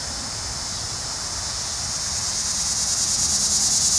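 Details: Linne's cicada, Neotibicen linnei, in Cape May County, New Jersey: a loud, steady high-pitched buzzing drone with rapid pulsing, swelling slightly louder toward the end.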